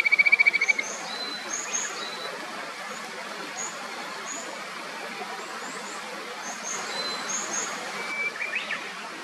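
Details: Kajika frog calling along the clear upper Natori River in Sendai, Japan: a quick run of loud, evenly pulsed trilled notes for under a second, then a steady rush of stream water with faint, scattered bird chirps.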